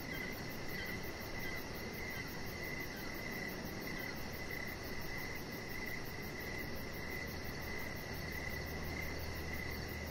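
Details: Evening crickets near a deck outdoors, chirping in a continuous train of short high pulses grouped into regular bursts, over a steady low hum and a thin high-pitched insect buzz.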